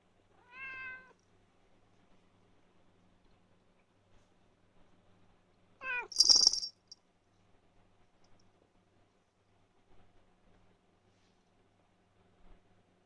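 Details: A young indoor male cat, a former back-alley cat, gives a brief, rich meow with stacked harmonics, then a quick rising brrt chirrup that breaks into an explosive, hissy sneeze, followed by quiet room noise.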